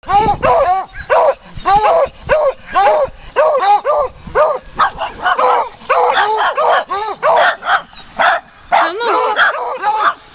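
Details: Muddy puppies greeted on a walk give a dense run of high, sharp yips and barks, overlapping and repeated several times a second throughout, with a voice calling in the background.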